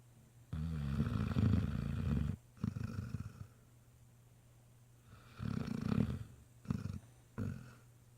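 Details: A male Great Dane puppy sleeps after a long day visiting a nursing home and snores with low, throaty rattles, each drawn-out breath rumbling for a second or two before a quiet pause.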